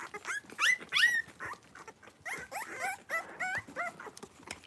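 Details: Blenheim Cavalier King Charles Spaniel puppies, a few weeks old, in an indoor puppy pen with mother Paris; dense overlapping squeals and whines, some rising then falling, others short and bent, coming several per second.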